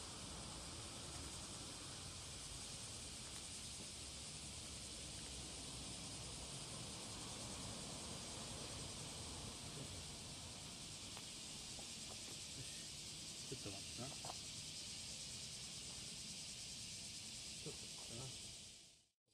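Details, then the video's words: Cicada singing in courtship on the morning of July 30, 2017, at Passage de la Duee: a steady, hissing high buzz runs unbroken for nearly twenty seconds over low rumbling background noise. "蝉の求愛Cicada singing to fall in love"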